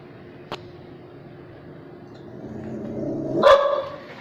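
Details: Dog barking: a soft rising whine builds for about a second, then ends in one loud, sharp bark near the end, with a faint click earlier.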